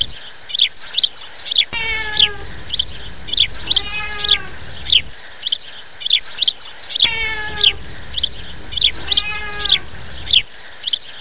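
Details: A black cat meows three times, each a harmonic, slightly falling wail of under a second, over steady high-pitched bird chirping repeated roughly every half second.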